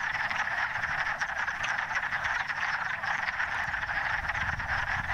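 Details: Wood frogs gathered in a forest vernal pool on the first warm days at the end of winter, calling to find mates: a dense, continuous chorus of clucking, duck-like croaks massed together with no pause.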